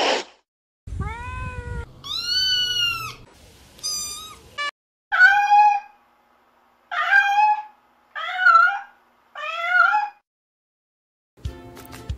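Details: Cat meows in a series: a few long, clear calls first, then shorter, quieter meows spaced about a second apart, each bending up and down in pitch, with silence between them.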